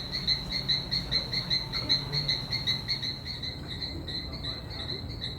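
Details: Small Adenomera frogs in a hotel courtyard garden by the Itaya River in Iquitos, in the Peruvian Amazon, give brief, high chirps, two or three each second, in an insect-like string over a soft low hum.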